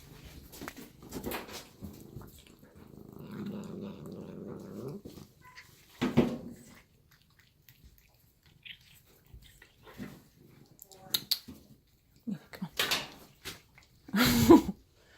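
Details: Reina Meana, a cat growling while she eats, gives a low, rough, steady rumble lasting about two and a half seconds, between scattered clicks, chewing noises and a voice calling indoors.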